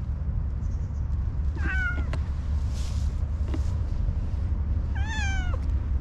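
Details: Shy orange tabby cat meowing: a brief soft mew, then after a few seconds one clearer bright meow that bends downward, against a persistent deep hum of outdoor noise.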